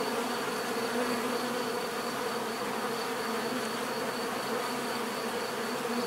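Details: Bees heard in a relaxing natural recording: a steady, dense buzzing drone of many insects, even in loudness throughout, with bright hum bands around the low-middle range and a faint high whine above.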